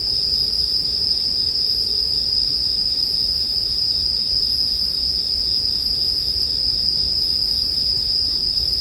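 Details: Unbroken bright trilling of bell crickets, even and sustained throughout, over a low rustle of burning firewood, in a soothing bedtime mix.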